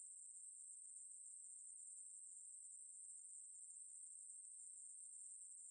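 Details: Ruspolia katydid from a 2020 National Institute of Biological Resources recording, singing one unbroken, very high, hissing buzz that holds steady throughout with no pauses; no other sounds.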